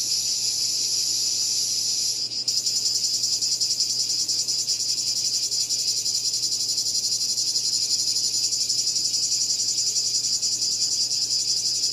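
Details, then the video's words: Cicada calling: a dense, continuous high buzzing shrill held steadily throughout, with a brief dip near two seconds before resuming unbroken at the same intensity, no other sounds standing out. "Cicada Called || ឪរៃអើយរៃយំ"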